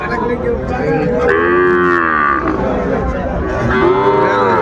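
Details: Young Sahiwal bull calves being bought at a market in Comilla, Bangladesh, 10 February 2025: several arching harmonic moos, one long bleat-like call mid-clip and another near the end, with crowd voices throughout.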